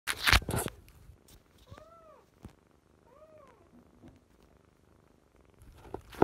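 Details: Kittens, part of a litter of sister kittens fostered in spring 2017, give two soft, rising-then-falling meows in the middle of the stretch, with rustling and handling noises at the start and end.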